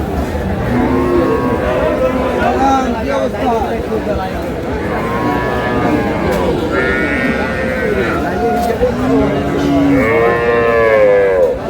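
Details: Dairy cows with calves at Aftabganj cattle market, Dinajpur, on April 11, 2026: drawn-out, harmonic moos rise and fall around seven and again near eleven seconds. Crowd noise and bargaining voices run underneath throughout.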